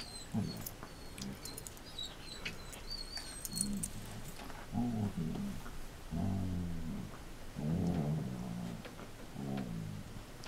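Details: Play session in 2014 between Marco Polo, a six-year-old Samoyed, and Cisco, a Border Collie: low rumbling growls come in uneven bursts, softer and lower, while small birds chirp and trill faintly overhead.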